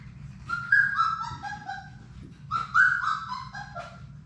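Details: Young Labrador Retrievers from Sadie's six-puppy litter in an indoor play room. Two short bursts of whimpering, each a few sliding, descending cries, are separated by a pause, with a low room rumble underneath.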